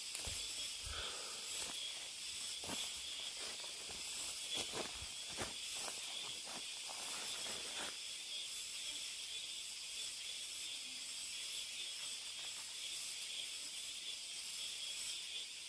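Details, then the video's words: Cicadas deep in a mountain forest: a steady, dense high-pitched shrill drone fills the whole recording, with footsteps crunching on the trail during the first eight seconds. "깊은 산속의 매미소리"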